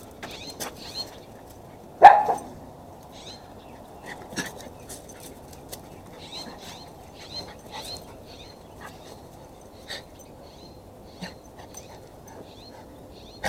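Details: One loud, abrupt bark from Max, a Chihuahua cross pet dog, while running around wildly, followed by faint scampering, clicks of paws and soft quiet noises.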